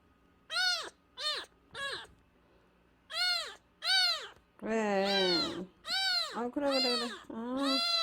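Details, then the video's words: A nursing kitten under one month old, found crying at the front gate and taken into the house. It cries in loud, harmonic, arched meows, short at first, then longer and overlapping, several per second-and-a-half. "엄마가 빽빽거리며 우는 동생 하나를 데려왔어요. 대문앞에서 울고 있었다는젖먹이 아기고양이"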